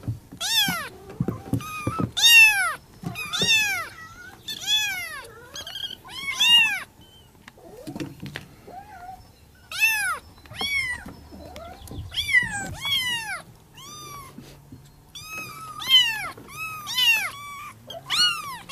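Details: Persian kittens give high, piercing meows in quick bursts, calling for their mother.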